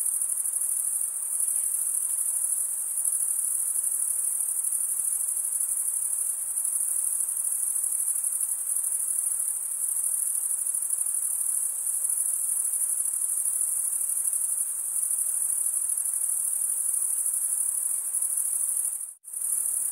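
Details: Steady high, thin trilling of chirping crickets runs evenly for most of the stretch, then breaks off in a brief near-silent gap close to the end before resuming.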